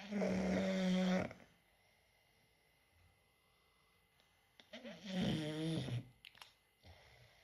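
An English bulldog snores in loud, rasping breaths with quiet pauses between them.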